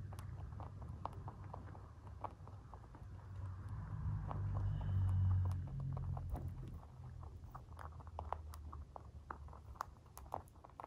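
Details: Free-range white mini lop bunnies, a dwarf breed, munching food: quick crisp crunches about four per second over a low hum that swells midway, then fades to steady chewing.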